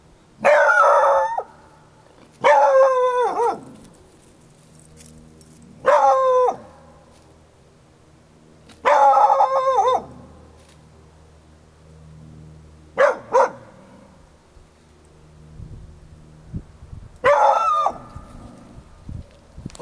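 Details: An 8-month-old male, possibly a Beagle/Jack Russell Terrier mix, defending his property: loud drawn-out baying barks with a howling quality, six bouts roughly every two to four seconds, quiet between them.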